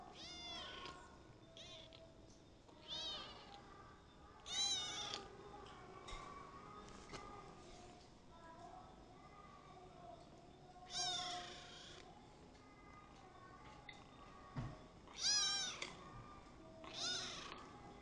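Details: Kitten ten days after adoption giving several short, rising-falling meows spaced irregularly over background room noise, some quiet and clipped, a couple louder and brighter.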